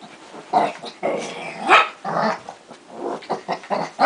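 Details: Two dogs fighting, giving harsh growls and snarling barks in rapid irregular bursts, some rising to sharp yelps, with no other clear sounds.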